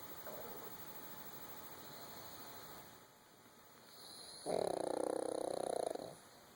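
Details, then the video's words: A female puppy asleep gives one long, rough, vibrating snore lasting around a second and a half. It rises abruptly from near silence and then stops, with a constant faint hiss throughout. "Puppy snoring"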